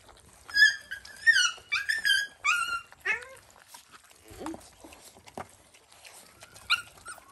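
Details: Stray dogs at a farm in Cambodia during feeding, a mother with her puppy nearby: a run of high, squeaky whines and yelps sliding downward, then scattered lower whimpers and thumps.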